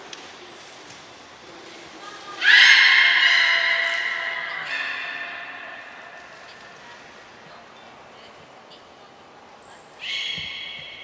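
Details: Training session for belugas Nana, Niko and Mirai at Port of Nagoya Public Aquarium on 23 February 2023. One loud harmonic call swells abruptly and fades slowly over several seconds. A shorter call follows near the end, each preceded by a brief high pure tone.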